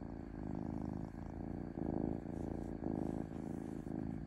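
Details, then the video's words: Steady purring from a domestic cat, a deep vibrating rumble broken into rhythmic inhale and exhale phrases of about half a second to a second each. "Cat Purring Smoothly"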